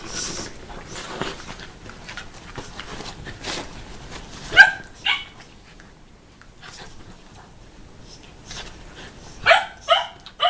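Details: Puppy at play with a mothering Shiba Inu that it keeps nipping; faint scuffling and panting, then two sharp yappy barks, a pause, and a quick run of three more high, clipped barks near the end.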